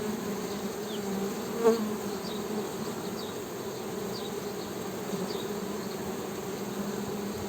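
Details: Honey bee hum holding a constant low buzzing tone, one short sharp click early on, soft high chirps here and there behind it.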